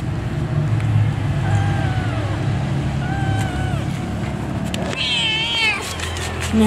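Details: Mother cat giving birth to kittens utters spaced meows, two softer falling ones, then a louder, higher wavering cry near the end, all against steady heavy rumbling noise.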